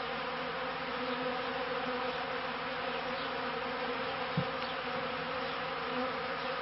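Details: Beekeeping honeybees recorded between the 1995 and 1996 seasons, giving a continuous dense hum of many wings with even, stacked tones throughout and one brief low thump partway through.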